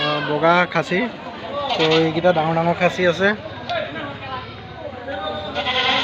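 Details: Goats at a farm in Assam: several overlapping, quavering bleats with a wavering pitch in the first half, then quieter, muddled background sound.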